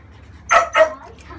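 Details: Female French Bulldog puppy, thirty days old, being bathed to clear cradle cap, gives two short, bright yelps in quick succession, close together and evenly loud, over a quiet background.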